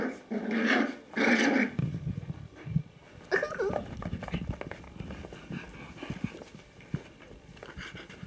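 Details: Five-week-old Kooikerhondje puppies from Quita's litter goofing around indoors: two loud, harmonic yelping bursts in the opening two seconds, then softer grumbling growls and scuffling noises, with a brief voice in the background.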